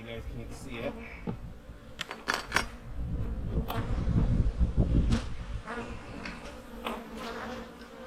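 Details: Autumn honey bee hives being readied for winter give off a dense, low humming buzz that swells in the middle, mixed with knocks and scraping of hive work and a few spoken words.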